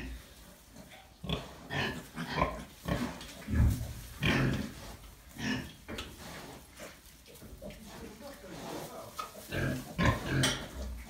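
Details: Gloucester Old Spot sow named Dinky, recently farrowed, with her newborn piglets on a Pembrokeshire farm; short low grunts come in uneven bursts every second or so, with human voices talking over them.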